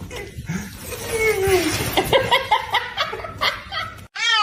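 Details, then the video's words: Cat meowing amid background noise, a drawn-out falling tone followed by short clipped mews, ending after a brief gap with one clear, high, harmonic-rich meow. "kitten meowing"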